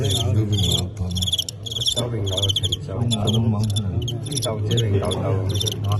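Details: During a cricket fight billed as Tengxian knocking out Qingyuan, a folk-culture pastime, bright pulsed chirps come in quick bursts nearly throughout, with men talking loudly in Cantonese and a steady low hum underneath.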